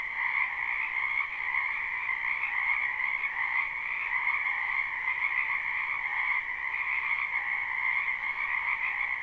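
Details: Massed croaking of many frogs in a spring wetland, recorded live with no loops; a constant, shimmering trill-like chorus with no single caller standing out and no other clear sounds.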